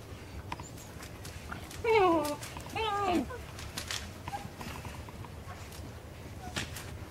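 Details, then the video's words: Puppies playing with a big plush dog give two short whining yelps, each sliding down in pitch, against a low background rumble and faint knocks. "puppies playing with big plush dog"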